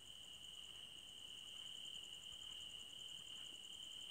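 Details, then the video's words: Crickets in a forest at night: a steady, high, unbroken trill runs throughout, with a fainter, higher rapid pulsing above it and a soft background hiss. "Cricket Sounds For Sleeping"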